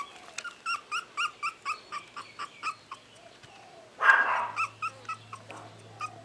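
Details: Pomeranian puppy in a kennel giving a rapid string of short, high, clear yips, about three each second, broken by one louder, harsher squeal near the middle, over a faint steady low hum.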